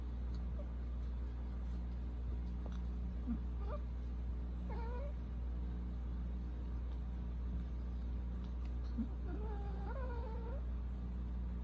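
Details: A Persian cat, the younger of two brothers, gives a few faint meows near the middle, then a longer, wavering meow toward the end over a steady low indoor hum.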